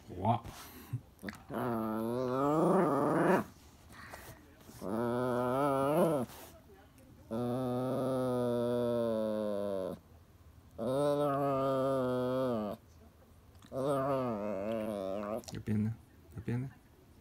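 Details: Indoors, a Toy Poodle, Elle, keeps asking Happy Hanna for the ball. Five long moaning, talk-like vocalizations, steady then dipping in pitch, are separated by pauses over a faint background hiss.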